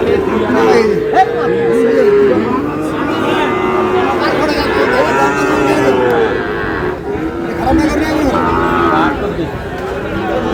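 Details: Sahiwal bull calves and cattle at the Ambari market in Aftabganj on 19 August; one long, steady moo sounds early, then fainter lowing is buried under dense crowd talk and haggling.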